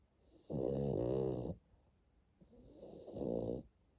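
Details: Sleeping French Bulldog Matilda, a pet at home, gives two loud, buzzy snores about a second long each, with a faint quieter breath between them in a quiet room.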